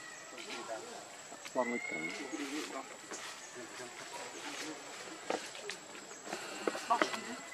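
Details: Baby monkey Lucie crying, hungry and needing milk, foaming at the mouth: a rising, drawn-out harmonic wail near the start, then scattered short squeals, with human voices and a faint steady high tone in the background.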